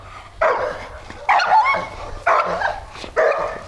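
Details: Dog in a dog-to-dog aggression training session, giving four harsh, rough barks spaced roughly a second apart, each a short burst with a brief trailing tail, over a low background hum.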